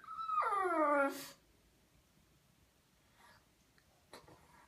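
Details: Pug named Immi, a dog with skin allergies, whining while wet and waiting out a ten-minute medicated shampoo soak in a lukewarm bath on a hot day; one loud high, wavering whine of about a second, then quiet with faint clicks.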